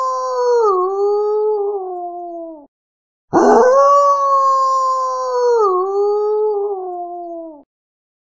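A wolf gives two long, steady howls, each holding a mid-pitched tone before sliding down at the end.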